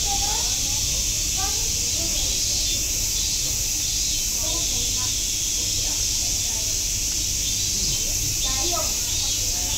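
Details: A steady, high, hissing drone of cicadas at Nogeyama Zoo, with faint human voices underneath.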